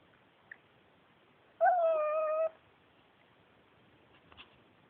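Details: Indoor male Pekingese, adopted from a shelter, gives a single steady whine of about one second that rises briefly at its start and then holds level, amid otherwise quiet room tone with small clicks.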